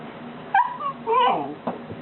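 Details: Three-month-old Golden Retriever pup Buddy, reluctant to come down a step and newly fitted with a collar he dislikes, lets out short tonal whining yelps that rise and fall, indoors with a person nearby.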